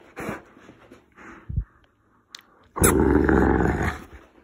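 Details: Female Boerboel, a big dog, growling in play after being told no wrestling after eating, grabbing a jumper sleeve. Faint sounds first, then a loud, rough, sustained low rumbling growl lasting over a second, with the owner talking before and after.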